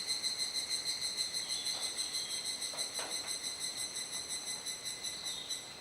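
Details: Cicadas at dusk in Kuji, Iwate Prefecture, Japan, on a July rainy-season evening: insistent high buzzing that throbs in regular rapid pulses, roughly three per second, with a few faint clicks beneath.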